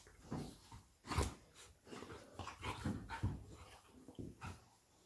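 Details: Labrador Retriever mother Lilly playing with her puppy Molly indoors; soft rough growls and grumbles come in short irregular bursts with scuffling, one louder burst just after the first second.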